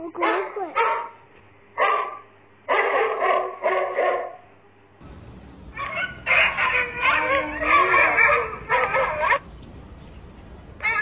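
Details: Puppies yap and yip in rapid, dense clusters of high barks, with a sliding whine partway through and steady background noise.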